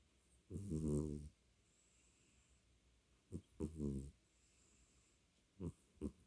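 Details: A domestic cat snoring: deep, rumbling harmonic breaths lasting about a second, then shorter snorts and a double puff, with quiet pauses between, low-pitched and fairly soft.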